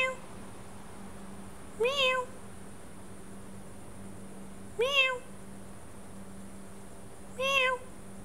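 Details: A domestic cat, asleep, that reacts to a meow sound with a twitch of its tail; three harmonic meows rising then falling, about three seconds apart, over a steady low hum and a faint high whine.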